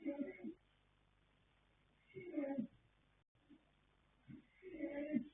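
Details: Colt foal Yanta, born 21 January 2026 to Fast Force and Pink Blossom, asleep and snoring; three rough, nasal snores roughly two seconds apart, with soft breaths in the gaps.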